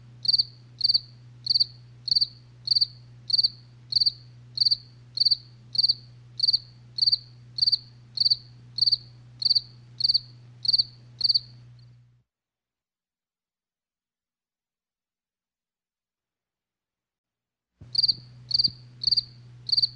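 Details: Night cricket chirps, evenly spaced high pulses for about twelve seconds, then a stretch of total silence before the chirping resumes over a faint low hum.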